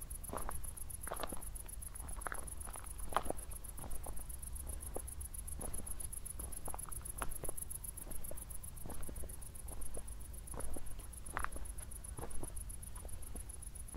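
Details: Crickets at night just after a thunderstorm, recorded on a walk near Zwettl, Austria, with city lights in the distance; a high, steady pulsed chirping runs throughout, overlaid by scattered crunching footsteps and a low outdoor rumble.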